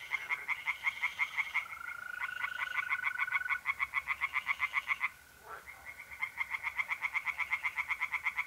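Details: Pond chorus of tree frogs at night in mid-April, north-east Italy: fast rhythmic rasping croaks in long runs, one brief pause midway, while mole crickets keep up a continuous even trill.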